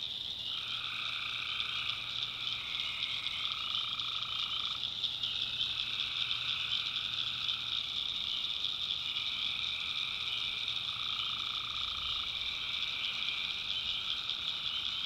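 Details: Tree frogs at night in a North Carolina backwoods swamp call in a thick, unbroken chorus. A shrill continuous trill is overlaid with shorter, lower croaking phrases that start and stop, and crickets likely add to the steady high hum.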